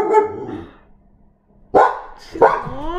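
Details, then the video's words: Female pet dog barking frantically indoors beside her recording owner; a bark fades out, a second of quiet, then two loud harsh barks about half a second apart. "okay my dog is barking like a maniac so I should be doing this more in my office where she can rest and now she wants she's spying at me for"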